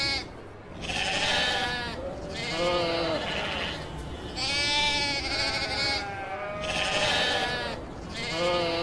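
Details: A flock of domestic sheep at pasture, bleating repeatedly; quavering, nasal calls of about a second each follow one another with short pauses, several animals overlapping at times.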